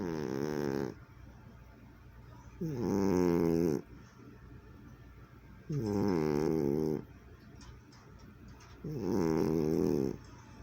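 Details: A sleeping cat snoring, recorded in 2020, each breath a harmonic-rich rasping snore of about a second, repeated roughly every three seconds with quiet gaps between, in a small room.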